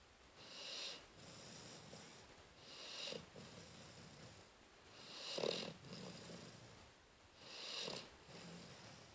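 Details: Cleo the dog snoring while asleep, recorded 12-12-13: breathy, hissing snores in slow waves about every two and a half seconds, each swelling and fading, with a louder rasping snort near the middle.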